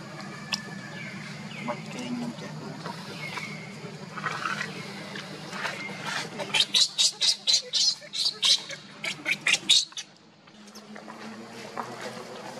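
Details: Baby monkey Leo crying and shaking after mother Libby leaves, while monkey Luna is nearby; a burst of sharp, high, squealing cries comes in rapid pulses near the middle, then stops, over a faint background hum.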